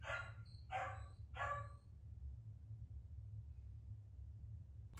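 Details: Puppy in the background having a tantrum indoors, giving three quick harsh barks in the first two seconds, then quiet with a steady low hum.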